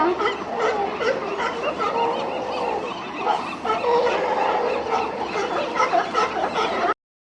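Many seals call together in a dense chorus of hoarse, nasal honks and drawn-out moans. The voices overlap constantly, rising and falling without any steady rhythm.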